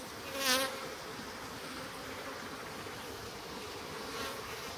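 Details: Japanese honey bees in a stacked-box hive in spring, the slide-out bottom board being opened: a steady low hum of many bees with faint harmonic bands, one brief loud click near the start and a softer knock near the end.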